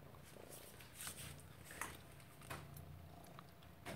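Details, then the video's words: Lilly, a Maine Coon cat, purring while chasing "prey" indoors: a low, steady rumbling hum with brief clicks and taps of movement scattered over it. "Lilly the Maine Coon purring and chasing "prey""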